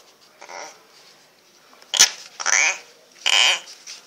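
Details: An angry female tokay gecko in Vietnam gives harsh, raspy bursts of croaking hiss, a threat sound during an attack. Tokay gecko.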